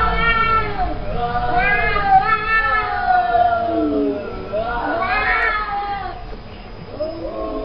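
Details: Cats talking to each other, trading drawn-out, rising-and-falling meows, several long wavering calls overlapping one after another, with a faint background hum.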